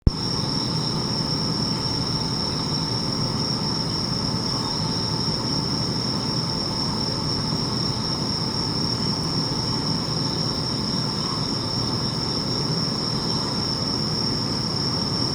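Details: Bell crickets calling near Sendai around 1 a.m. on 3 September 2025 while a distant thunderstorm flashes over the Yamagata direction; a steady high ringing tone holds throughout above a dense, constant low rumble and hiss.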